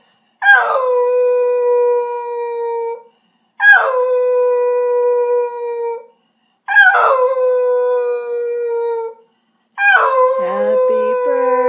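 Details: Pet cocker spaniel singing along to happy birthday after waking from sleep: four long, steady tonal howls, each opening with a sharp upward break then holding one pitch for about two seconds, evenly spaced by short silences.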